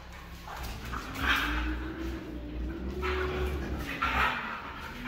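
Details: Red female Siberian Husky making a long, wavering, moan-like call that slides gently up and down in pitch, with short breathy bursts of noise and a low constant hum behind it.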